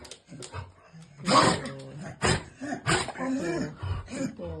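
Harsh, explosive snorts and sneezy bursts come from a young Vizsla, linked here to laryngeal paralysis. A person keeps up a soft, reassuring chatter between the bursts.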